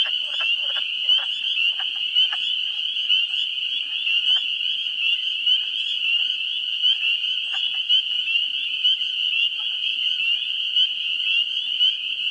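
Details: Spring peepers calling in a New Hampshire swamp during the first week of April. A dense, continuous chorus of high peeps forms an unbroken ringing wall. Wood frogs add low, scattered clucking notes, and a few are heard early on.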